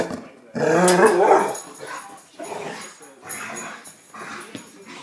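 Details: Dog making noises at a cat: one loud, rough, harmonic growling howl of about a second and a half, followed by softer, breathy grumbling bursts.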